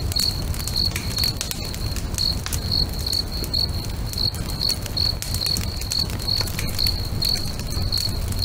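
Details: Crickets singing by a lake at sunset: high-pitched chirps repeat at a brisk, regular pace of about two per second, accompanied by a crackling, popping bonfire and low rumbling.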